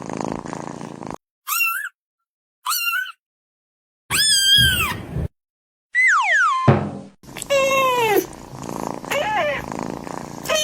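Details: Kitten meowing: a series of short, high, clear meows, some bending up then down, separated by silences. Later meows are longer and slide downward, with background noise between calls.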